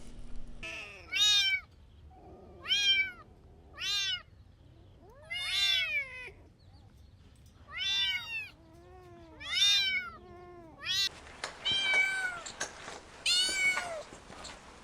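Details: Little kittens playing with pine cones on soft green grass call in rising-and-falling meows about every one and a half seconds, ending in a brighter, louder run of overlapping mews.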